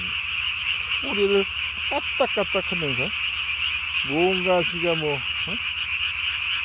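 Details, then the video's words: Japanese tree frog recorded after dark on 3 May 2020, puffing its single throat sac to body size; clusters of rapid, falling, nasal croaks alternate with brief pauses over a continuous high-pitched background hum. "밤에 우는 청개구리 울음판이 몸통 만큼 크네요?"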